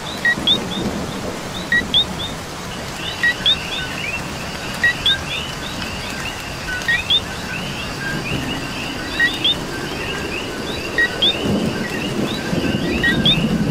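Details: Coqui frogs in Puerto Rico calling in the rain: a dense chorus of short two-note chirps, a low note followed by a higher upswept one, repeating over steady rain patter and a low rumble like distant thunder.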